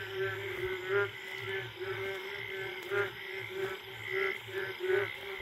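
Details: Wild Indian frogs calling for mates in the forest on a late night after the first rain: throaty pulsed croaks in bursts roughly every second, swelling and fading, with other frogs overlapping in the background.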